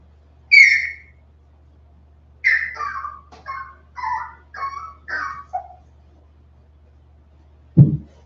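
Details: West Highland White Terrier puppies, 47 days old, indoors on a livestream after an outdoor break: a high whistled whine, then a run of short falling squeaky whimpers, ending with a low thump.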